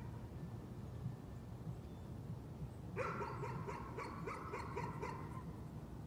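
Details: Nuisance barking from a dog, heard somewhat distant: after three seconds of low rumbling background noise, a run of rapid repeated barks begins and continues to the end.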